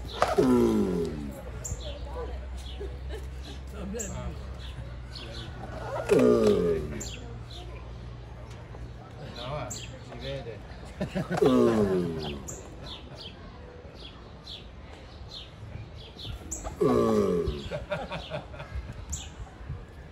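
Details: Mating giant tortoises. Four rhythmic, strained groans, each a harmonic burst that slides downward, repeat at regular intervals of about five seconds. Birds chirp faintly behind them over a low background drone.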